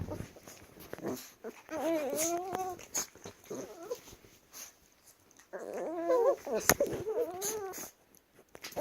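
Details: Chihuahuas wrestling give wavering, whiny grumbles that rise and fall in two long bursts, with a short pause between them and faint rustling indoors.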